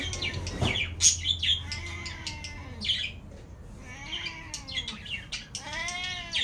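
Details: Cat crying for cat food, giving a series of short, rising-then-falling meows, several overlapping as if more than one cat calls at once, with high chirpy squeaks between them and a low hum early on.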